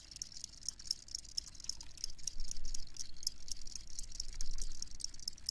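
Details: Crickets chirping in a steady chorus of short, high, rattling pulses, several per second, over a low rumbling background hum.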